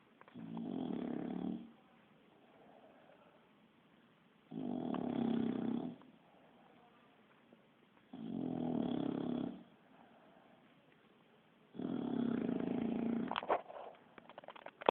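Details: Four rough, buzzing snores from a sleeping bulldog that snores like a human, spaced about three to four seconds apart with hushed breaths in between; a brief click or rustle at the end.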